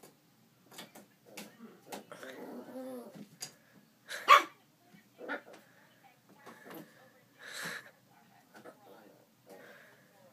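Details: A little poodle puppy barks at its own reflection, unsure what to think, giving short, high, sharp barks and yips at uneven intervals.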